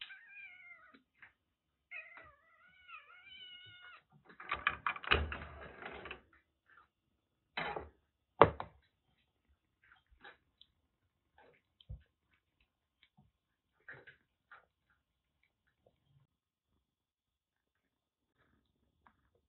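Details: Rescued kitten Jura, soaked in record heavy rain in western Japan and suffering a bad cat flu, cared for indoors at a Kagoshima kitten nursery: several bending, rising-and-falling mews in the first four seconds, then loud thumps and knocks with scattered small clicks.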